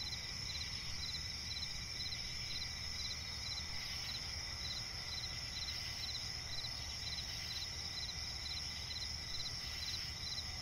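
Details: Crickets calling in a night swamp forest, shrill continuous trilling with short evenly pulsed chirps repeating over a soft low rumble.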